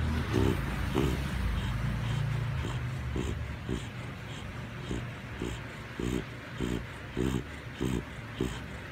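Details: A sleepy Chow Chow snores in short, piggy grunting snorts, like a pig, repeated over a low background rumble.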